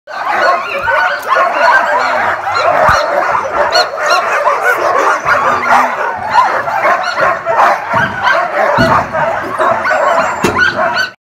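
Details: Sled dogs in Alaska bark and yip nonstop, many voices overlapping in a dense, excited chorus.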